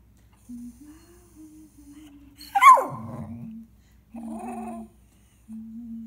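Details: Small pet dog singing along: soft sustained whine tones broken by a sudden loud yelping howl that sweeps high then drops, followed by short wavering moans after pauses.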